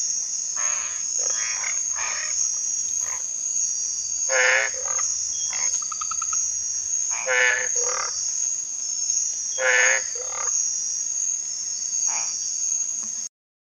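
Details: Masked treefrogs calling at night near ponds in Quepos, Costa Rica: repeated short, rasping, harmonic notes from several callers every one to three seconds, set against a constant shrill insect whine.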